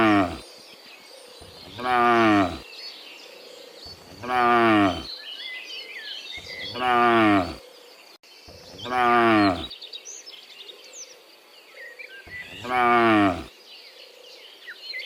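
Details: Cattle heading back from the field to the barn in the morning: five deep, harmonic moos, each lasting about a second and spaced roughly every two and a half seconds, over a soft chorus of chirping birds.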